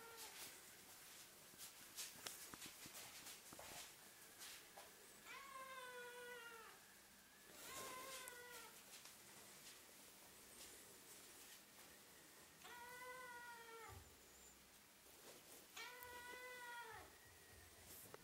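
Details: Fluffy female Ragdoll-Birman kitten 'singing' as the camera is pointed at her, seemingly appealing for something: four drawn-out, slightly arched harmonic meows, each about a second long, spaced several seconds apart over a hissy background with scattered clicks.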